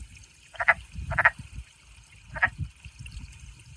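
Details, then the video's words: Wood frog in spring, end of April, found during a hike, one holding onto a stick: short clucking croaks in a few bursts, two close together then one more, over low rustling background noise. "Spring Wood Frog Sounds"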